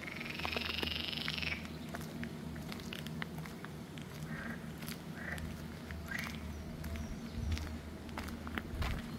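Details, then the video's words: Green frog (Pelophylax) at Arboretum Volčji Potok on 5 June 2024, giving short croaking bursts around the middle, after a thin high whistling sound at the start, over a constant low hum throughout. "Pelophylax sp. ZELENA ŽABA"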